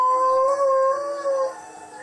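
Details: Pet Alaskan Malamute Blade howling in answer to wolves heard on TV; a strong, even held note that breaks briefly, then trails off and fades.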